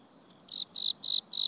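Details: Cricket in autumn: after a brief quiet start, four bright, high chirps follow one another at an even pace of about three per second.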